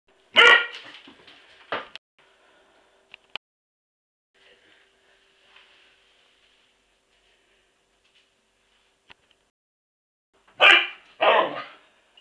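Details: Border Collie named Toff barking at a washing machine indoors: a sharp bark opens, a second follows near two seconds, then long quiet with faint clicks before two more loud barks close together at the end.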